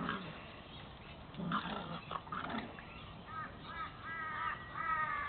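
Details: Staffordshire Bull Terrier Spike, 14 months old, playing with three puppies of his first litter, two white females and a tiger brindle male: low rough growls in the first half, then high harmonic squealing yelps repeated toward the end.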